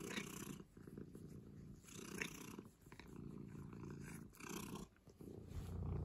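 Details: Domestic cat in an office purring close up, a continuous deep rumbling purr with rising and falling breath cycles about every one to one and a half seconds, no other sounds.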